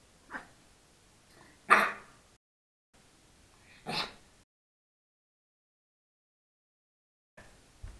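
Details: Pug puppy, three months old, attempting to bark, recorded on an SJ4000 camera: a soft huff, then two short, sharp, breathy yaps roughly two seconds apart, followed by silence and a faint final sound.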